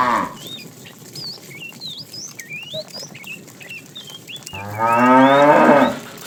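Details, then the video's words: Tame herded cattle in the afternoon, a fat cow calling the female: lively high bird chirps fill the first part, then one strong, deep, wavering moo of about a second and a half near the end. "The funny sound of a fat cow calling the female"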